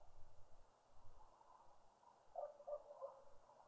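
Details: Wahlberg's epauletted fruit bat gives three short, mid-pitched, frog-like pings about a third of a second apart, over a faint low rumble, at a bird feeder in a suburban garden in Pretoria, South Africa.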